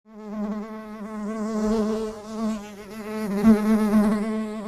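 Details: Bee buzzing, recorded in 8D: a steady droning hum with many stacked harmonics, wavering slightly in pitch and loudness, swelling louder near the end.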